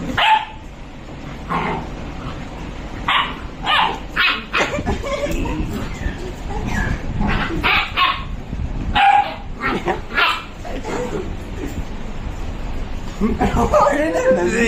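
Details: Two Labrador Retrievers in a playful fight, giving short sharp barks and yips in irregular bursts, some in quick pairs, with scuffling and occasional human voices in the background.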